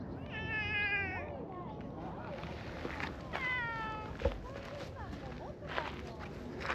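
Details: Stray tabby cat being stroked in a park, giving two drawn-out, harmonic meows, the first about a second long and the second shorter and falling, amid faint outdoor background noise.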